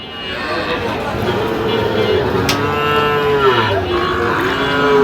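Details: Sahiwal breed bull calf at a sale where a Barishal farmer is buying stock, giving a long, low, sustained moo that wavers slightly in pitch, with voices murmuring in the background.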